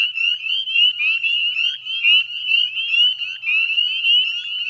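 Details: Northern spring peeper chorus at the northwestern edge of the Chezzetcook salt marsh, Nova Scotia, at 9:08 p.m. on 18 May 2020, a continuous mass of high, sharply rising peeps from many frogs.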